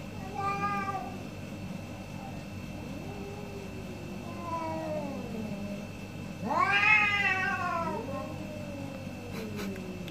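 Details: Two orange cats trade meows in a morning exchange: a drawn-out wavering meow opens, a softer falling one follows mid-clip, then a loud, rich, rising-and-falling meow near the end, over a steady low mechanical hum.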